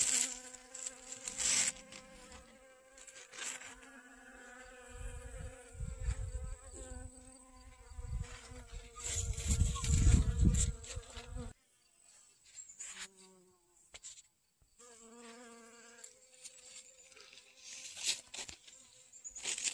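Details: Honey bees collecting pollen from sunflowers in a garden on 25 August 2021, one with pollen on its back legs; a steady droning hum that shifts pitch as a bee moves close, broken by loud handling thumps and a quiet gap near twelve seconds.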